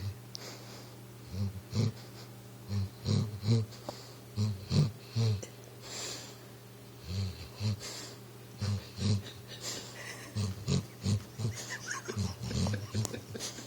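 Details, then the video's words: Dreaming on the couch, Recchi the pit bull snores steadily indoors, a run of low, snorting, wheezy breaths about every half second to a second, some doubled, with faint rustling between them. "Snoring pitbull tries to run in his dream"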